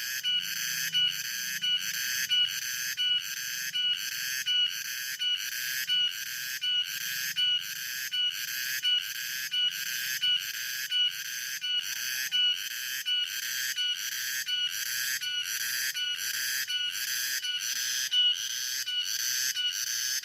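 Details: Afternoon chorus of cicadas, a continuous piercing high-pitched buzz throbbing in steady pulses about every 0.7 seconds throughout, over a faint low background hum.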